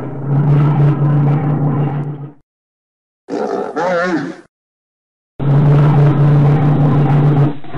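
A bear gives deep, rumbling roars with a wavering, moaning growl between them.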